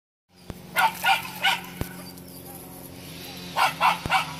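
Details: Parson Russell Terrier puppy, 13 weeks old, giving short yapping barks in two bursts of three, separated by a quiet pause with a few clicks and a steady low hum in the background.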